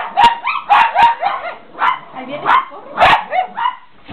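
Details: Pet Chihuahuas getting excited, giving a burst of high sharp barks and bending, whiny yips, irregular but roughly two per second, close and loud.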